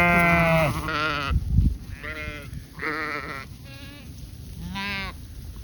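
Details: Goats at pasture alongside sheep, in autumn, bleat in short, wavering, nasal calls, several in a row with brief pauses between them.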